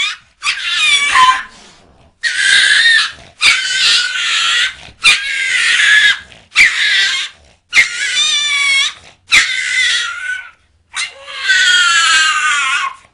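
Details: Dog producing cat-like noises in a long run of drawn-out whiny, meowing cries, about eight in thirteen seconds, each roughly a second long with a nasal, harmonic tone, separated by short silences.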